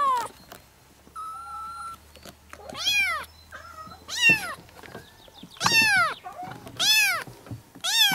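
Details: Kittens meowing at the same time: loud rising-then-falling meows roughly every second, preceded by a steady faint tonal hum and soft rustling.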